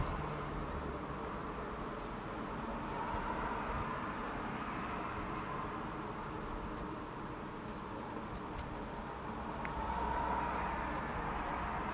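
Only a steady broadband rumble and hiss, like distant traffic or wind, with no clear animal voice.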